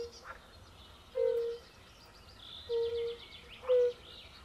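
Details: Three mellow, hollow 'oop' notes from a fire-bellied toad chorus at a forest pond, spaced over a few seconds, while birds sing faintly in the background.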